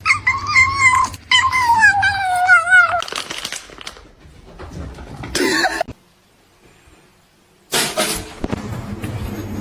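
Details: House cat from a funny-cat compilation uttering a long, wavering meow that slides gradually downward, followed by scattered knocks and bursts of noise.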